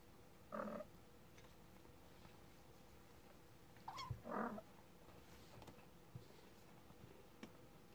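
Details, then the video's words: Kitten 30 days old meowing: a short, harmonic-rich meow, then a longer, louder, grainy meow about four seconds later, with a low thump before it, over a quiet background with faint ticks. "Kitten Day 30"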